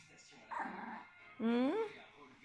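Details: A female Biewer Yorkshire Terrier "sings" alone into a studio microphone on the floor with a short, rising howl that climbs smoothly into a whiny wail, enjoying hearing herself through the sound system.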